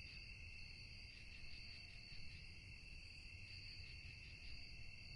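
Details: Night-time cricket chorus, a continuous shrill ringing in stacked high tones with slight rapid pulsing, never pausing, against a dull low background hum.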